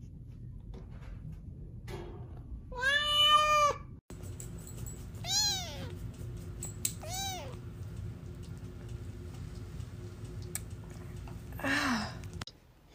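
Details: Domestic cats in a funny compilation: a long, drawn-out meow with rich harmonics, then two shorter arching meows a couple of seconds apart, a faint squeak near the end, over a steady low hum.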